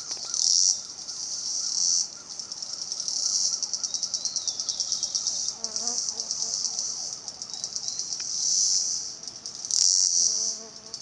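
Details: Cicadas in Salta, a high buzz rising and falling in loud bursts every few seconds, over a fainter chorus of other insects or birds with lower warbling notes.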